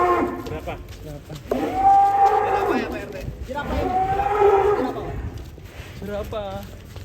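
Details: Huge cow raging while fed and weighed in Indonesia, giving two long, strained harmonic moos, each several seconds long, over background music and a man speaking.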